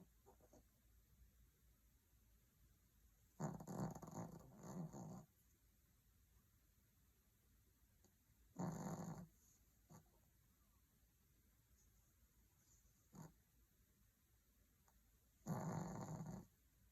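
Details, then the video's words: Soft snoring from a sleeping Maltese puppy tucked under a blanket. Three longer rumbling snores of one to two seconds, a few brief snorts between them, and near-silence otherwise. "Soft Snoring… Maltese in Deep Sleep"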